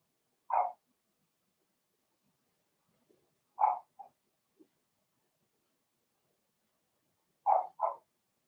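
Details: Indoor puppy pen holding Remy's first litter of Blenheim Cavalier King Charles Spaniel puppies: short, high-pitched single barks spaced several seconds apart, ending with a quick double bark, against a quiet room.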